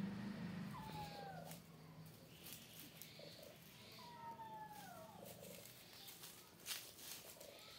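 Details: Two outside kittens playing in front of a cat and three kittens: two thin, descending meows about three seconds apart, over a low purr at the start, with light tapping and rustling noises.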